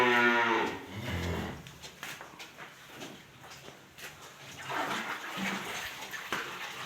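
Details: Cattle at Shamim Dairy Farm in Bogura: a short harmonic moo opens the clip, followed by a low rumbling lowing, with background clatter and farm noise.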